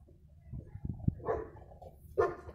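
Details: A dog barks on 15 February 2020, giving two loud, abrupt barks about a second apart after a few soft thumps and knocks.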